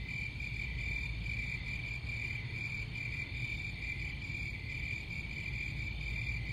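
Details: Crickets chirping continuously in a steady high-pitched chorus, a dense pulsing trill that barely varies, over a constant low rumble of background noise.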